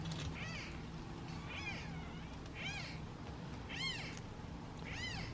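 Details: Hungry domestic kittens in a basket meow while waiting their turn to be fed; five thin arched meows, roughly one per second, rise and fall steadily above a low rumbling hum.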